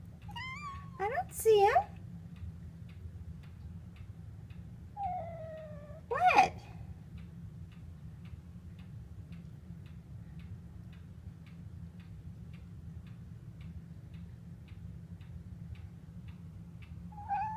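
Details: A normally quiet house cat whining indoors one morning, perhaps at blue jays outside: two clusters of drawn-out, wavering meows early on, a long quiet stretch with steady ticking and low hum, then a short meow at the end.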